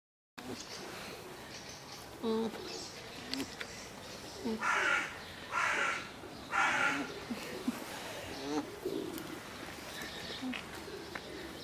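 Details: An alpaca at a quarantine centre in St Petersburg gives three loud, shrill, braying bursts about a second apart, with soft low hums between them.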